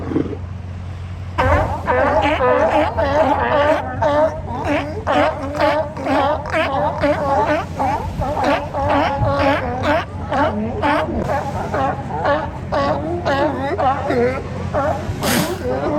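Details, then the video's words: Sea lions hauled out at Kiddie Beach, Oxnard, California, barking almost nonstop in a dense overlapping chorus of rough, honking calls, several per second, over a constant low rumble. "Sights and Sounds of Sea Lions at Kiddie Beach, Oxnard, CA"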